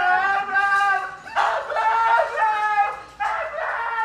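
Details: Siberian Husky being dramatic indoors, giving drawn-out whining, yodel-like cries in three bursts, each rising and bending in pitch with rich overtones, separated by short pauses.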